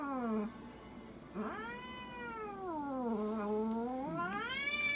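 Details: Munchkin cat protesting with deep, sustained harmonic wails at a Nagoya veterinary clinic in Japan during an examination and blood draw. Each long cry dips low and then climbs, three in five seconds.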